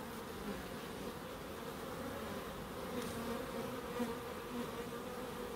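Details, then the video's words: Bees in a small wildlife garden in Crookes give a steady, droning buzz with a low hum near two tones; a couple of faint higher flickers pass through, and no other animals stand out. "1hr of Relaxing Bees"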